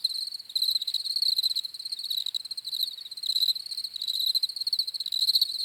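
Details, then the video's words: High, trilling cricket chirps in pulsed bursts, one caller dominant with others behind, rhythmic and continuous with short gaps, no other sounds present. "CRICKETS CHIRPING SOUNDS"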